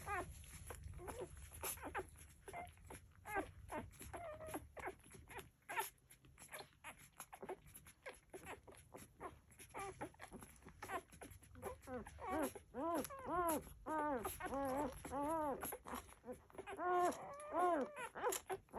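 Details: Nursing Labrador Retriever puppies whimpering and squeaking with thin, rising-and-falling whines in quick succession.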